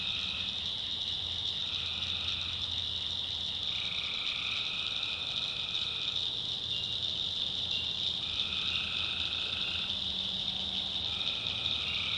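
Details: North Carolina swamp at night, full of calling tree frogs: a steady shrill chorus with overlapping lower trills that come and go every couple of seconds, over a faint low background hum.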